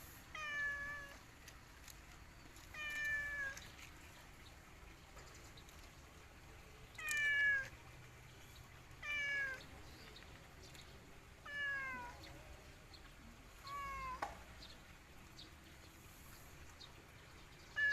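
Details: A cat described as sad gives about seven plaintive, drawn-out meows with a falling, slightly arched tone, spaced roughly two to four seconds apart over a quiet indoor background.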